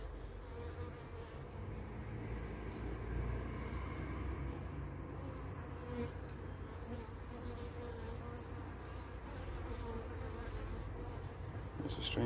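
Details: Carniolan honey bees (Apis mellifera carnica) at their hive as the queen returns home after a three-to-five-minute orientation flight; a dense, low, steady droning hum of many wings fills the whole stretch.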